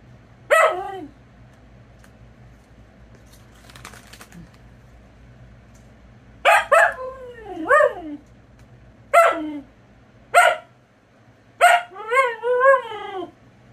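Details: Luna the Siberian Husky being mouthy, letting out a series of short harsh yelps and drawn, sliding whines spaced a few seconds apart, ending in a wavering, woo-woo talking howl; faint clatter and a low hum behind.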